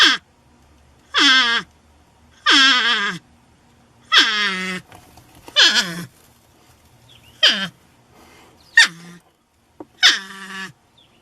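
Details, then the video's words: A porcupine repeats loud, harsh whining cries roughly every one to one and a half seconds. Each is a bright, strained wail that falls sharply in pitch, with a few shorter squeaks mixed among the longer calls. "PORCUPINE SOUND EFFECT 호저 울음소리"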